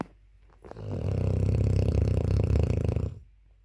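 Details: Dogue de Bordeaux puppy, nine months old, snoring loudly indoors: one long, deep, rattling snore lasting about two and a half seconds, low and rumbling with a rapid fluttering texture, rising in and fading out.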